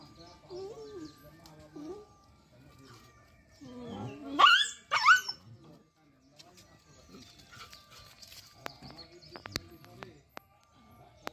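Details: Dogs fighting on a road in an open village: two loud, harsh yelping barks burst out close together mid-recording, with softer growls before them and scattered voices and clatter afterward.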